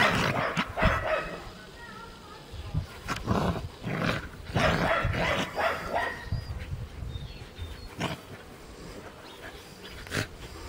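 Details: Scottish terrier puppy and puli playing, giving quick, uneven barks and yelps spaced about a second apart, with some gruff growling between them.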